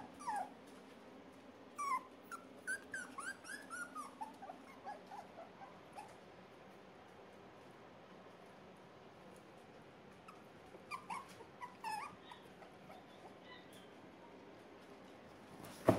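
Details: Three male red Miniature Poodle puppies whimpering indoors: thin, high squeaky whines that rise and fall, clustered in the first six seconds and returning briefly around eleven to twelve seconds, over a quiet room hum.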